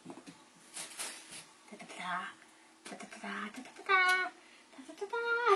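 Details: Four young Bengal kittens, just past toddling, play together indoors and give short high mews, two clear rising-falling meows near the end, while a woman talks to them throughout.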